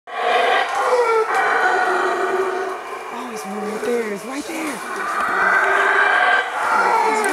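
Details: Howler monkeys in the Monkey River basin near Placencia, Belize, give a deep, rasping chorus of roars that rise and fall without a break.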